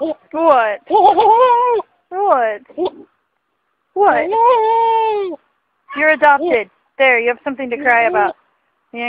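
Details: Goats making funny noises: a run of loud, quavering bleats with rich harmonics, some short and choppy, one drawn out for over a second with a wavering, almost human-sounding tone, separated by brief silences.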